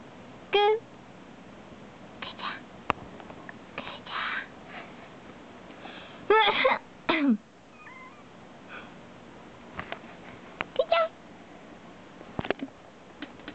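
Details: Kuu, a black house cat, calls out in reply to its owner's deliberate coughs, reacting even while asleep; short tonal meows, one rising and one falling, mingle with coughs, whispering and indoor speech.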